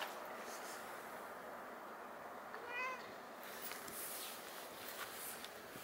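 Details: Cat at Nippon Maru Park, recorded 25 February 2021 around 6:15 in the morning: one short, tonal meow with a rising-falling sweep, heard once midway over steady background hiss and hum, followed by a few faint noise bursts.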